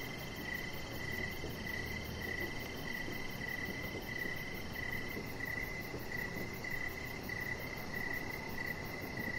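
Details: Crickets singing in the evening outdoors near a deck: bright, high chirps pulse evenly about every half second, with a faint second high tone above and low background rumble.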